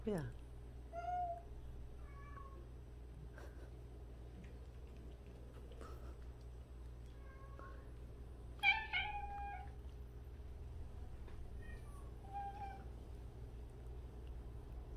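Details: Among 76 street and abandoned cats, several short meows rise and fall at intervals, one louder burst near the middle, with quiet human speech and a faint background hum.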